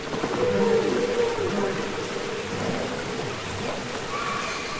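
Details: Underwater song of humpback whales from the Capitol Records ST-620 release: a sustained mid-pitched tonal note with lower harmonics, then scattered gliding whoops and a faint higher whine near the end, against constant rushing hiss.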